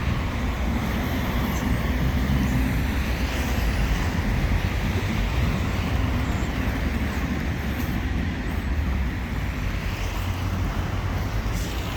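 Steady low road traffic rumble with passing vehicles throughout, and no clear animal calls.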